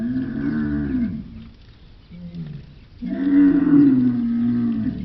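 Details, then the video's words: Camel producing a throaty, harmonic groan, then a brief soft grunt, then a louder, longer bellow with a slightly falling pitch. "Звуки верблюда: какие звуки издаёт верблюд"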